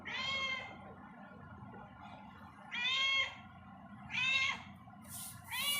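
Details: Pet cat wandering indoors at home utters a series of clear, harmonic meows, one long, then two shorter ones and a clipped fourth, with quiet room hum between.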